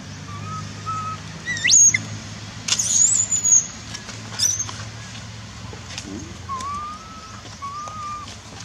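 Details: Orphaned baby monkey Dustin crying for his lost mother in Cambodia, with brother David nearby; a few sharp, very high squealing screams in short bursts, then softer level whistled coos, over a low steady hum.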